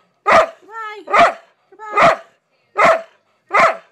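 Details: Big goofy pet dog Heyoka barks five times at a steady pace of about one per second, with a rising, harmonic whine squeezed in between the first two barks, as if saying goodbye on cue.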